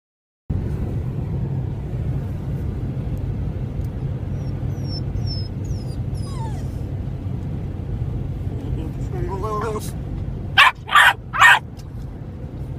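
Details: Two American Staffordshire Terriers at play: after a long stretch of steady low rumble and some faint thin whining tones, three short, harsh barks come in quick succession near the end.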